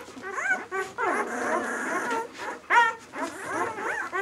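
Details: Six-day-old White German Shepherd puppies of the B litter "of White Night" whimper and squeal in short, arched, harmonic cries, some overlapping, with brief quiet gaps between bursts.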